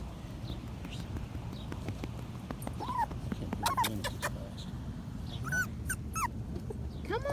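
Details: Five-week-old Patterdale Terrier puppies exploring a homemade earth tunnel of black PVC pipe give scattered short arched whimpers, some rising and falling, among rustling, clicks and soft handling noise.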